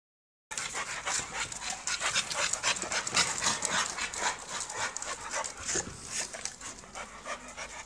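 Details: American Bully dog of UKC show standard panting hard: rapid, breathy, even huffs, nearly four each second, running steadily for about seven seconds after a short silent opening.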